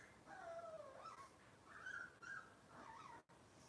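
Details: Whining from a Cavalier King Charles Spaniel puppy in Robin's litter, indoors: a run of thin, wavering whimpers that slide up and down, breaking into several drawn-out notes over nearly four seconds, with faint room noise behind.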